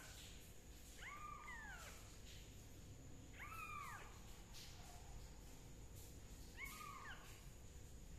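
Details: Repeated meowing from a kitten receiving leaf-juice treatment for fungus: three arched, plaintive calls spaced two to three seconds apart, each rising briefly then dropping, over a low steady rumble.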